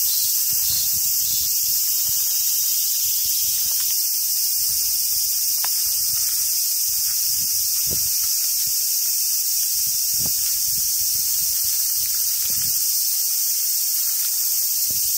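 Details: Summer cicada chorus at a Japanese macaque park in Sumoto on Awaji Island, Japan: unbroken hissing drone over scattered rustles, thuds and brief sharp clicks.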